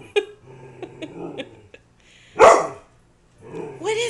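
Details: A dog, a little freaked out by a cardboard cutout of a person, gives a sharp, harsh bark between bursts of a woman's coaxing speech.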